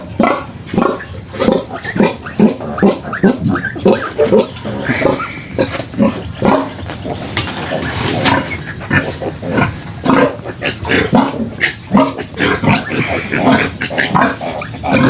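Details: Domestic sow with her surviving piglets after farrowing, five left of a litter of twelve; a steady run of short, low, rough grunts repeated about every half second, with faint voices in the background.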